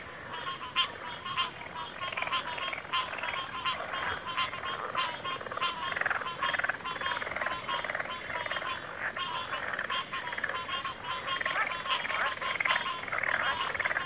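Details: Long stretch of a frog chorus in backwater, thick overlapping rasping croaks and pulsed trills with many distinct knocking notes, steady throughout, beneath a constant high-pitched drone.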